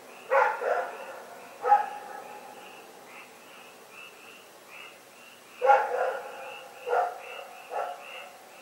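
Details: Rex, a dog, barking in the night, recorded February 27, 2018: five loud, rough barks, one pair near the start and a trio later, separated by quiet gaps, over a steady background chorus of short, high repeated chirps.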